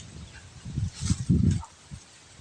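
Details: Goat kid suffering from a cold and cough: a quick run of low, rough, husky coughing bursts packed into under a second, the loudest near the end, then falling quiet with faint background hiss.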